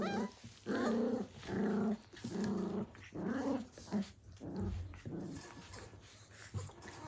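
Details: Blue heeler puppies, Australian Cattle Dogs, at play in 2020 at Tin Roof ACDs, giving a run of low, throaty growls roughly every second, some ending in a rising whine, against a hushed indoor background.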